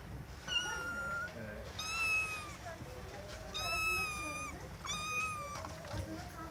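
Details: Domestic cat meowing loudly: four drawn-out, harmonic-rich meows about a second each, some sliding upward then falling, spaced roughly every 1.5 seconds, with a few faint lower calls between them.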